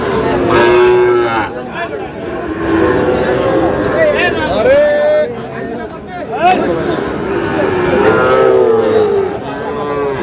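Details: Sahiwal bull calves for sale at the Aftabganj market in Dinajpur, Bangladesh, 8 August: several drawn-out moos, some rising then falling, in a busy market with overlapping voices and chatter.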